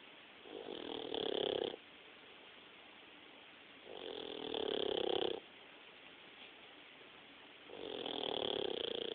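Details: New pit bull puppy asleep and snoring, three long raspy, wheezing inhalations spaced roughly three seconds apart, each rough buzzy snore about a second and a half long, separated by near silence.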